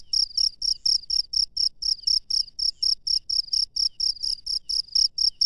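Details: Wild cricket at night giving loud, shrill pulsed chirps in a regular rhythm, roughly two each second, each chirp a tight buzzy burst; low faint hum underneath, nothing else prominent.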